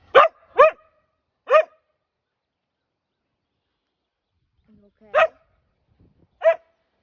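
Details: Lady the husky, the neighborhood's alarm clock, lets out a quick burst of three barks, then a long pause before two more spaced yips.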